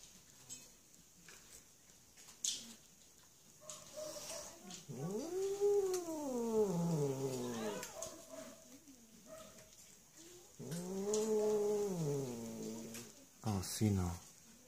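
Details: Female shelter cat in Germany, possibly still hungry, gives two long, wailing meows, each swelling then sliding down in pitch, separated by quiet pauses, with a woman's gentle speech and faint handling noises around them.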